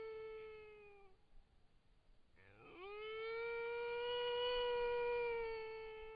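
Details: A wild dog (dingo) caught on a trail camera over a carcass howls in reply to another dog calling in the distance: a long, steady, mournful tone that swoops up at the start and then holds level.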